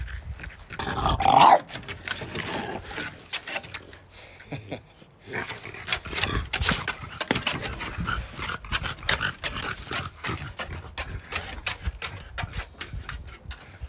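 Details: Oleg, a French Bulldog, eating strawberries outdoors on a plot: dense smacking and clicking chews with snuffling breaths, one loud sharp burst early on, then steady irregular munching and panting throughout.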